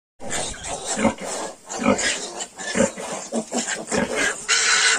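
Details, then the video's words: Yorkshire piglets, 22 days old, give short low grunts and brief squeals in a quick uneven series. A harsher, noisy burst of rustling closes the final half second. "Yorkshire piglets 22 days"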